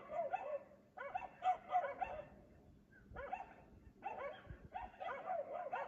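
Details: Dog barking at 3 AM, as it does every night while its owners sleep, in Aliseda (Los Galaperos); rapid runs of sharp, harmonic barks come in four bursts separated by short pauses.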